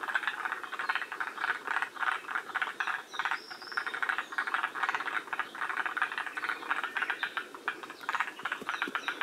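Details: Forest green tree frogs chorusing at Shiriya, Aomori, Japan, at the northern edge of their range; a steady wall of harsh, rattling croaks pulses in waves, with a brief high whistle near the start.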